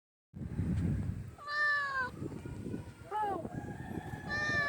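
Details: Large male domestic cat meowing loudly for food, giving three drawn-out, harmonic meows that rise then fall, over a low background rumble.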